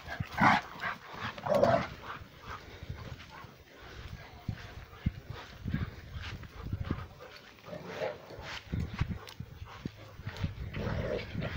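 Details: Male Rhodesian Ridgeback barking at something, alongside two females playing; two loud barks near the start, then scattered softer barks and thumps of movement.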